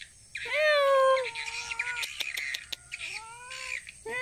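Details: Cat named Tiger, hunting rats in a rice field in Indonesia: a long, drawn-out harmonic meow that rises, holds level, then sags, followed by a shorter rising meow, over steady insect and bird chirping and a few sharp clicks.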